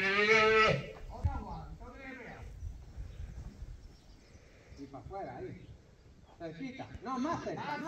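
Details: Female calf being worked in bullfighting training at a ranch gives one loud, harmonic bawl lasting under a second at the start, followed by quieter human voices and rustling.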